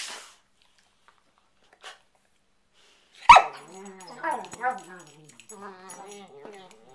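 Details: After near silence, a sudden thump, then two dogs playfighting on a bed at bedtime break into short wavering whines and low snarling growls, trading sounds in a prey-predator style game.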